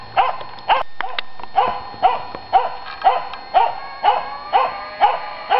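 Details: Finnish Spitz in a clash with a raccoon dog, loud arched barks repeated about twice a second in an even rhythm, with a faint low hum underneath.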